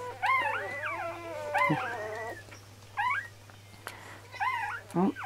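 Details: Five-day-old Golden Retriever puppies at morning feeding time, giving high, arching whines and squeals in short bursts separated by brief pauses, over a steady low electrical hum.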